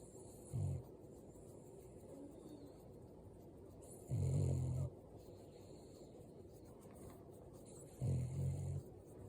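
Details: An 8-month-old female Boston Terrier puppy in Canada snores in low, rumbling bursts spaced a few seconds apart while asleep, possibly dreaming.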